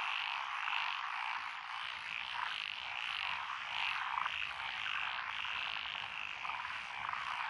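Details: Early-summer frog chorus in lotus paddies of Echizen, Fukui, Japan, with tree frogs, pond frogs and wrinkled frogs: a dense, even buzz of overlapping higher croaks without pause, and a few faint rattles.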